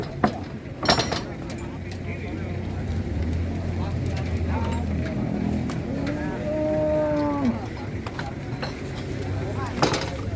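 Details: Qurban cattle being unloaded from a truck, some of them raging, give one drawn-out moo of about a second and a half midway. It sits under steady crowd chatter, an engine rumble and sharp knocks.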